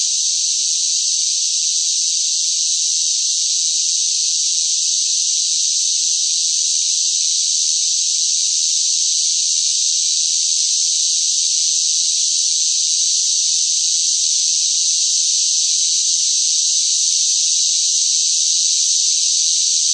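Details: Hot-weather cicada chorus, loud and relentless: a flat, high, rasping hiss continues unbroken for the whole stretch at almost constant volume, with no separate calls, background animals or human sounds.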